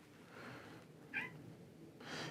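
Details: Domestic cat meowing inside the open ground-floor space of a château's ancient wing in the south of France, where wood is stored; one short, faint, tonal meow midway through, with quiet room noise and faint rustling around it.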